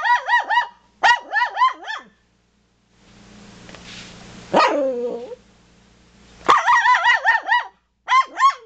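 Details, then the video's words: Toy poodles barking at deer in fast volleys of four or five piercing yaps. A drawn-out, sliding whine breaks in midway over a low hum, then the rapid yapping resumes. "Toy Poodles Hate Deer"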